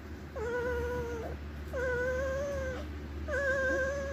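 A Basset Hound puppy gives three drawn-out, wavering howls, each about a second long.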